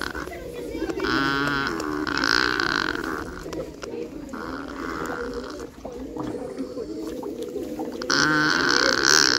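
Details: Nutria calling to one another in dialogue, giving loud, quavering moan-like cries in several bursts, the last rising sharply, layered over continuous low grunting and babbling sounds.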